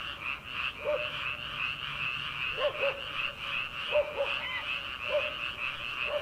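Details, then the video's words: Frogs heard from rice paddies in early summer before transplanting, on a late night: a steady massed trilling chorus, overlaid by nearer double and triple croaks recurring roughly every second or so. "초 여름 개구리 울음소리/ 논에서 들리는 개구리 소리"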